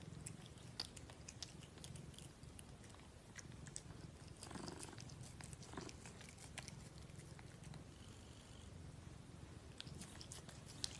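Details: Domestic cat at its food, steady low rumbling purr running under sharp, scattered chewing and crunching clicks for the whole stretch, with a brief louder crunch near the end.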